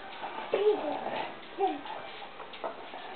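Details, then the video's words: Bracco Italiano dogs at play at Kennel BiancoRosso, giving short harmonic whining grumbles that bend downward, two clear ones about a second apart, then softer murmurs, with a quiet indoor background. "Bracco Italiano play"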